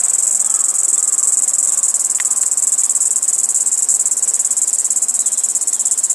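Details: Kaempfer cicada calling while perched on a cherry tree, giving an unbroken shrill high-pitched buzz with slight rapid pulsing throughout, a faint brief click near the middle.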